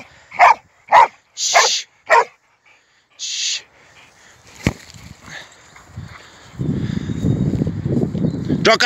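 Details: Four punchy barks in the first two seconds and another shortly after from an American Staffordshire Terrier at play with a football, then low rumbling noise and faint voices.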